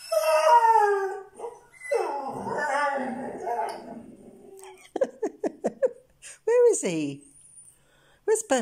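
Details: Indoors, an Irish Red and White Setter answers a friend's howl coming through Facebook Messenger with two drawn-out, slightly falling howls, the second rougher and wavering. A woman then speaks, asking where he is, with a short whine between her words.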